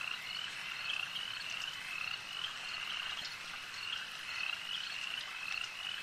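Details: A lake-side frog chorus: rapid, high, trilling croaks repeating every fraction of a second from several callers, blended over a low steady hiss.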